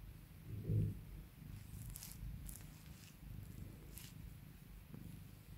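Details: House cat purring as its owner calms and spoils it: a deep, close rumbling purr with a louder swell early on, then steady breathing rhythm, plus light rustling and brushing sounds overhead.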